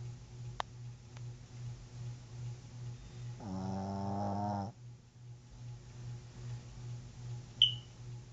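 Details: A sleeping pet dog indoors snores once in a drawn-out, buzzy, harmonic-rich breath lasting just over a second, set against a steady low hum. Faint clicks come before it and a sharp tap follows.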